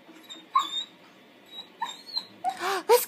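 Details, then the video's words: An Old English Sheepdog puppy answers an offer of a walk with soft rising whines and yelps, quiet at first, then a louder, rougher vocal burst near the end. "Old English Sheepdog Puppy talking"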